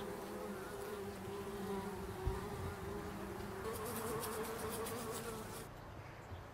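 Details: Bumblebees working foxglove flowers in an English country garden, pollinating; a continuous droning hum with stacked low harmonics, pitch shifting slightly upward midway, one brief click, then the hum fades toward the end.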